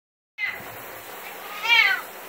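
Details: Pet cat meowing at shower time, which he hates: a brief faint cry, then a louder drawn-out wavering meow with a falling end, over steady hiss of running water indoors.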